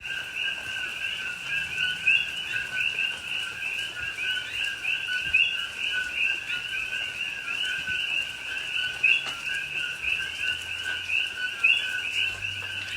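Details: Coqui frogs calling at night in Hawaiian rainforest rain at Pahoa, Hawaii, in October 2021: a dense chorus of overlapping two-note whistled calls, a low note then a higher rising one, repeating without pause over soft steady rain hiss.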